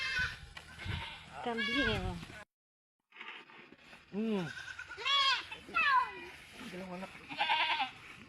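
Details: Farm goats in their pen give a run of arched, quavering bleats, several in quick succession, after a burst of human speech, with music in the background.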